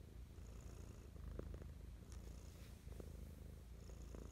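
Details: Mischa the pet cat purring affectionately in the morning, close-up ASMR recording: a steady deep low rumble throughout, with soft clicks and rustles near 1.4 and 3 seconds and faint airy whistles on the breath.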